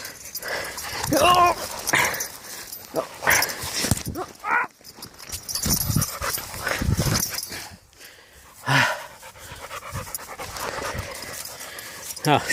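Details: Five-month-old Dogo Canario puppy attacking in Transylvania; short growls, a whine with a rising whistle-like tone, and scuffling noise, mixed with a person crying out in pain and shouting.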